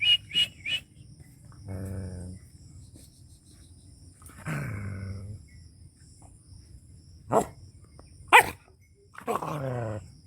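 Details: Angry dog in a rural Punjab village, Pakistan: sharp isolated barks break up drawn-out, low harmonic moaning howls of about a second each, with quiet gaps between.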